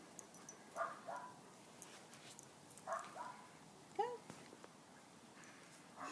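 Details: Five-week-old poodle-shih tzu mix puppies on grass for the first time, giving short high yips and whines at about one, three and four seconds, with quiet pauses and faint background rustling between them.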